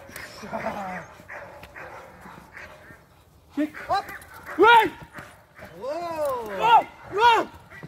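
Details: Clara, a working Presa Canario pup, female and eight months old, in security dog training: after early human speech, a run of loud, harmonic, arching barks comes in quick succession during the second half.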